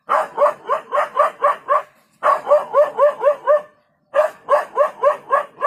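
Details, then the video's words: Dog giving three quick bouts of rapid, evenly spaced barks, about four per second, with a pause of roughly half a second between bouts. "What's helped the dog is not bravery but his noise."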